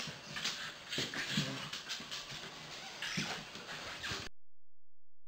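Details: Ike, a 9-week-old German Shepherd puppy, playfighting indoors with Dottie, a 2-year-old Corgi cross Jack Russell: low grumbling growls and short yips mixed with scuffling and rustling bursts for about four seconds, then silence.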